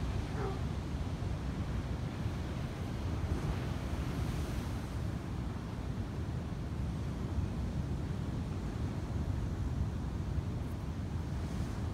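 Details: Constant roaring wind buffeting the microphone fills the whole stretch, with no animal voice audible.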